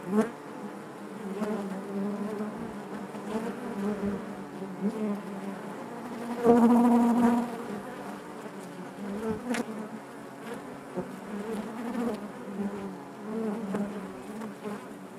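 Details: Honey bees buzzing inside their hive: a dense, steady hum with layered harmonic bands, wing tones swelling and fading as individual bees pass close, one loud near buzz midway, and soft clicks of movement throughout.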